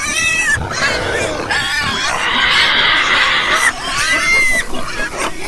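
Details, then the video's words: Pigs squealing loudly, with long harsh high-pitched squeals lasting a second or more, layered over a background of lower grunting and noisy pen sounds. "Ouça o som dos porcos - Porco - porco roncando - som do porco"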